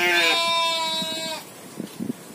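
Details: Goat at a pen set among rice fields, giving one long, steady, nasal bleat of about a second and a half, rich in harmonics and ending abruptly, followed by quiet background rustling.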